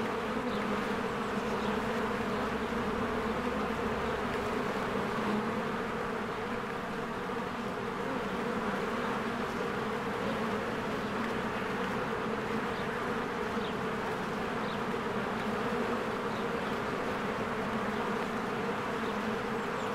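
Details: Spring beehive with many honeybees flying in and out: a constant, thick droning hum of wingbeats holding an even level for the whole stretch, low banded buzz with no breaks.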